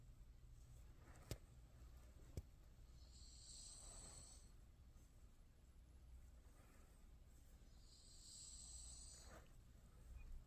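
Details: Sleepy Shiba Inu Yeoui snores with its eyes open, giving two long, hissy breaths about five seconds apart, plus two sharp clicks early on and a faint low hum throughout.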